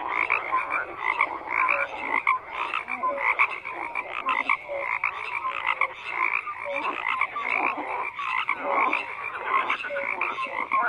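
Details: Frog chorus with dense, buzzy croaks crowding together, occasional brief tonal chirps, and a busy, unbroken texture throughout, no wind, water or voices noticeable.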